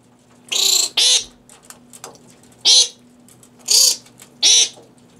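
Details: Fruit bats feeding on fresh romaine lettuce in captivity at Cranbrook Institute of Science, Bloomfield Hills, Michigan; five loud, grating screeches, each under half a second, spaced unevenly, with a constant low electrical hum beneath.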